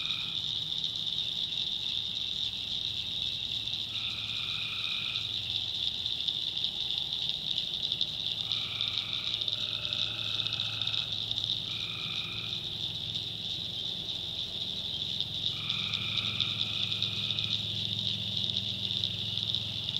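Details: Nighttime tree frog chorus from a North Carolina backwoods swamp: a steady high-pitched drone carries over brief buzzy trills, each about one to two seconds long, appearing in irregular bursts, with a soft low rumble underneath.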